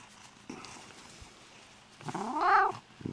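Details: Lynx hybrid cat indoors at bedtime, one of several exotic cats being put to bed, giving a single rising, drawn-out meow with rich harmonics that swells and then breaks off, after a quiet stretch with faint rustles.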